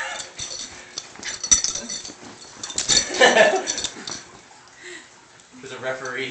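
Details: Dogs play fighting at home, a Dachshund named Johnson against a mutt named Bruce: scattered short whimpering yips and growly bursts that peak midway, with people chatting and laughing over the commotion.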